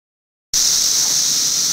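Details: Periodical cicada filmed in 2008: after half a second of silence, a steady, loud, hissing buzz starts abruptly and holds without a break, concentrated high in pitch, with no other clear sounds.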